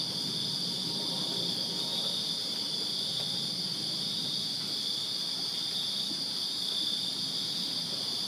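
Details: Summer-night crickets in a Virginia backyard produce a constant, piercing high trill layered with a thinner, higher shimmer, the chorus never pausing over a faint low-frequency rumble.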